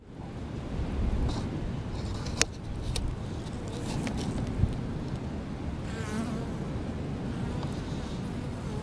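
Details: Honey bees gathering water from a leaky hose and fanning the hive, with a cat nearby; a dense low hum dominates, a wavering flyby buzz passes near the six-second mark, and sharp clicks sound twice.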